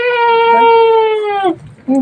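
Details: Domestic goat herd just after a birth, with three newborn kids, two male and one female: a single steady, clear, nasal bleat holding one pitch for about one and a half seconds before breaking off, followed by a short quieter voice.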